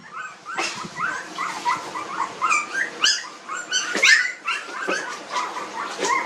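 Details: A litter of 19-day-old puppies in a village produces high, rising-and-falling squeals, several pups crying over each other in a steady, pulsing stream.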